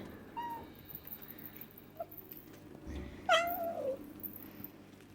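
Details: Cornish Rex kittens calling: a faint short mew early on, then one clear, loud meow that rises sharply and slides down in a long falling tone, over a quiet low hum.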